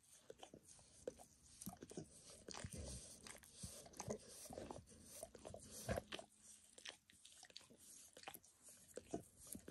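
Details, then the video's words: Indoors, the dog Max spontaneously gives himself a bath, licking his paws and then a nearby foot and leg; soft, wet clicking and smacking licks sound in uneven runs throughout, quieter and closer to faint room hiss, with no speech. "Max Licks | Dog Licking Sounds"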